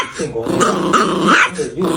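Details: Dog indoors making a strange growly, talking-like sound: a continuous rough grumble with wavering tones that rise and fall over two seconds, in a small room.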